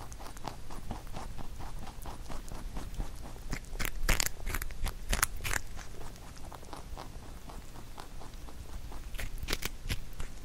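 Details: Pet rabbit Huchu eating a carrot songpyeon made for Chuseok, recorded indoors: rapid, irregular crisp crunches and chewing bites, with a burst of louder snapping bites in the middle, then steady munching.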